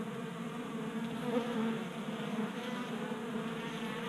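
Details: Several honey bees feasting from a 3D printed tray feeder on a garage workbench in Colorado on a warm January day. A continuous humming buzz with stacked tones, briefly stronger around mid-clip, then holding an even drone.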